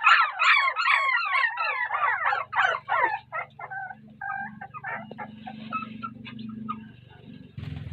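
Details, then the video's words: Puppies crying while their mother dog ignores them, possibly not wanting to feed them: a rapid run of high, wavering squeals for three seconds, then fainter scattered whimpers over a low steady hum. "A Heart Breaking Reaction Of A Puppy When Mother Dog Ignored Them || Crying Puppies"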